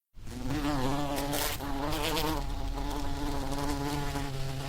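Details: Bee buzzing in the wild: a steady, droning hum with a low fundamental and stacked harmonics, continuous throughout with slight wavering in pitch.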